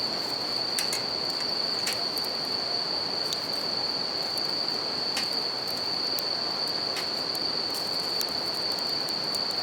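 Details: Night chorus of bell crickets near a river and a crackling campfire, a continuous high-pitched ringing held without pause, laid over a broad rush of flowing water and repeated snapping pops from burning wood.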